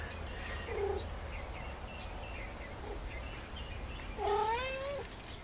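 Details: Sarah, a neighbor's female cat, hunting a lizard on a porch as it keeps escaping; two drawn-out meows, a short one near one second and a longer wavering, rising-falling one after four seconds, over steady low background hum.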